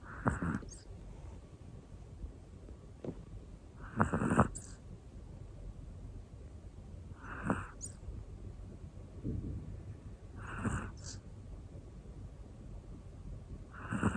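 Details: Sleeping Pomeranian Hana, a one-year-old black female, snores in a fairly even rhythm, a gritty rasping intake about every three seconds, some with a double catch, over quiet room hum.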